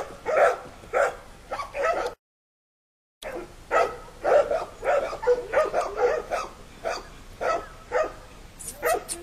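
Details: Five young puppies walking with their mother in the puppy yard, still staying close to her; they give short, quick yips and barks in irregular bursts, roughly two per second, with a brief gap of silence partway through.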